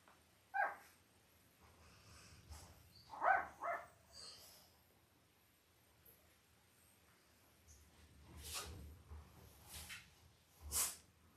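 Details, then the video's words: Five-day-old Labrador Retriever puppies from Belle's Christmas litter of five males and three females, born October 15, 2023, on a live puppy cam; a few short, high squeaks come early, later soft rustling and sharp clicking noises. "5 Day Old Labrador Puppies"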